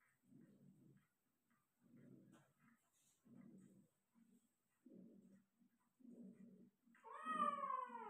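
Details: Persian cat giving birth to five kittens: a run of short, low, breathy grunts repeated about once a second, ending in a long, loud wavering meow.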